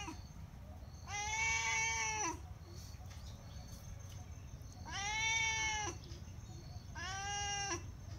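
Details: Sorna cat meowing nonstop while begging for food: three long, drawn-out harmonic meows, each about a second, rising then falling slightly, spaced a few seconds apart over a low steady background hum.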